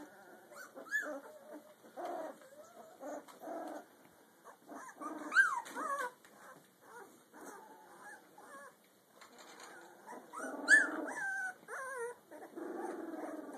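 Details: Two-week-two-day-old Rottweiler mix puppy giving a run of short whines and yelps. Most notes bend upward, and two sharp high squeals stand out above the quieter whimpering.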